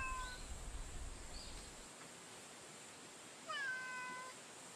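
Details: Female street cat met outdoors in the daytime, giving a short clear meow at the start and then a longer, falling harmonic meow near the end, with a low rumble of background noise early on and a steady faint hiss.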